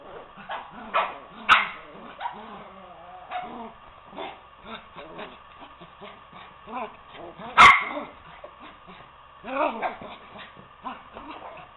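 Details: Two poodles, Toby and Lucy, wrestling in play as Toby tries to coax Lucy off the couch; a run of short growls and grumbles with sharp yips and barks, a loud bang near the middle and voices heard over the scuffle.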